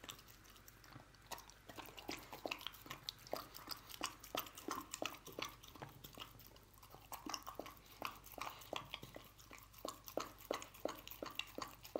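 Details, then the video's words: Lucy the dog eats canned dog food in a small room, with steady rapid chewing and lapping, close to three wet clicks per second and loosely rhythmic over twelve seconds. A faint low hum sits underneath. "Dog Eating Canned Dog Food"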